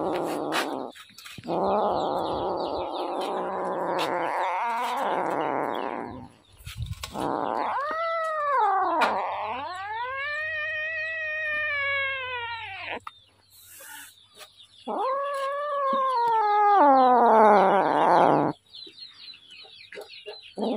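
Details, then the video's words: Hungry little kitten meowing insistently: a rough, hoarse wail, then two clear arching meows that rise and fall, the second long and drawn out, followed by another loud, wavering cry. "Hungry little kitten"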